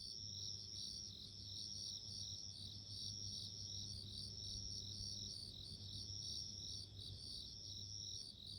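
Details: Bell cricket calls, a clear high-pitched ringing trill of rapid pulses with brief gaps, loud and continuous above a faint low rumble.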